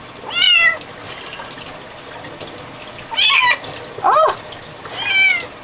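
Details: Kitten being bathed, her neck grabbed and pulled back, complaining: four separate high meows spaced about a second or more apart, some sliding downward, with light water and room noise between them.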